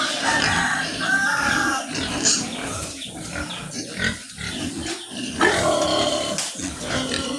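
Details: Sows on a farm, heard as a dense stream of rough grunts and snorts with a few short squealing bursts, over constant barn noise.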